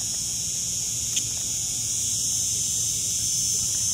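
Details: Cicada in Lagos, Portugal, producing a steady, shrill, high buzzing hiss without pause, unchanging in pitch and loudness, over a quiet low murmur of background noise.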